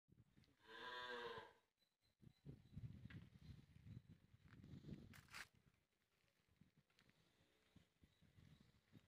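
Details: A six-month-old male Hallikar calf in Doddagangawadi, Kutkal Hobli, Ramanagara Taluk, gives one drawn-out harmonic moo lasting about a second, followed by people talking in Kannada.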